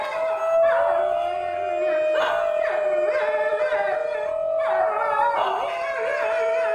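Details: Harmonic howling of a New Guinea singing dog called Darwin, wearing a blue harness, joined by other voices: a steady held tone under repeated rising-and-falling swoops recurring roughly every one to two seconds, yip-like inflections mixed in.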